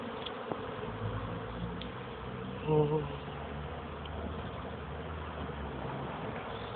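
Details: Honey bees making young bees' first orientation flights at 14:04 on 13 May 2013, a warmer day after several cold, rainy days; a steady low droning hum of many bees continues throughout, swelling briefly as one passes close near the middle.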